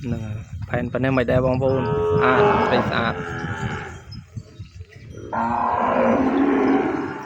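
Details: A calf, kept apart from its mother in a pen, calls for her: long, drawn-out harmonic moos that swell loud and hold steady for about a second each, with a short burst of speech at the start.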